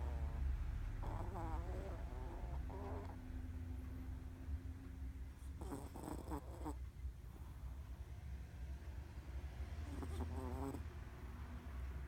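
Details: A sleeping Chihuahua named Ran-chan twitches through her midday nap while snoring. Raspy, rattling snore bursts come roughly every few seconds, and a thin steady whine-like tone runs between them over a low background hum.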